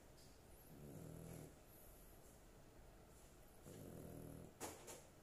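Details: Dog asleep, snoring with two slow, low rumbling breaths nearly three seconds apart; a brief sharp click near the end breaks the soft background hiss.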